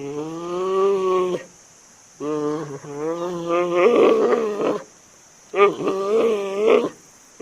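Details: Giant panda giving a series of wavering, harmonic bleats in three bursts, each about a second or more long and separated by short silences, with a faint steady high hiss in the background.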